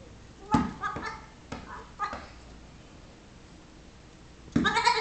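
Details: Six-week-old Nigerian Dwarf baby goat pestering a patient Yorkshire Terrier; short, harmonic bleats around one second, then a louder bleat near the end, with quiet background in between.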